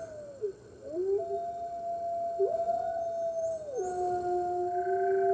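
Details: Red wolves at a New York wolf conservation center howl with the center's other wolves early on a March 2013 morning: wavering, bending howls that dip and rise, then long level tones from two overlapping voices.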